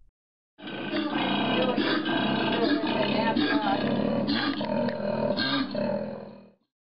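A koala bellows for about six seconds: a deep, rasping, snore-like roar with rapid throbbing pulses, rising and falling without a break.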